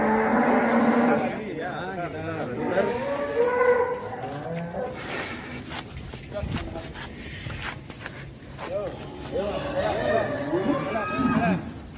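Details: Fat cattle, sapi lemu, kept for qurban sacrifice in 2023: a long, low, droning moo opens the clip, with further drawn-out lowing near the end, amid men talking, laughter and background music.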